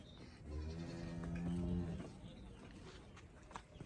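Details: Cholistani Friesian cross cow in Pakistan, shown for sale, gives a low droning moo lasting about a second and a half, followed by rustling and a man's voice.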